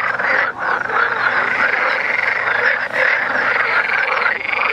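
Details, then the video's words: Dense frog chorus from Vrijbroek park, Mechelen, Belgium, animals croaking during mating: rapid, overlapping rattles forming a constant buzzing wall, with a short dip about half a second in. "horny frogs extra large"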